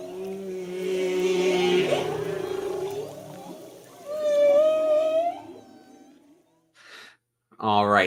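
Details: Humpback whales singing, heard underwater while snorkelling with them in Tonga: sustained low tonal moans, then a rising whistled upsweep around four seconds, fading out before a brief burst of a different sound at the end.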